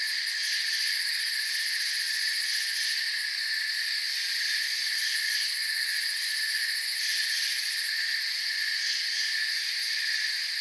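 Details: Crickets in a forest keep up a steady, high-pitched chorus of overlapping trills, with bursts of quicker pulsing in the uppermost layer now and then and an otherwise unchanging hum.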